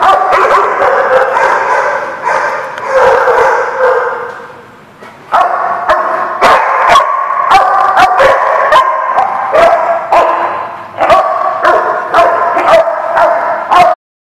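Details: Several dogs barking at a lot on 5/4/19, rapid bursts of harsh mid-pitched barks, some quick yips among them, a brief lull after four seconds, then steady overlapping barking until the sound cuts off.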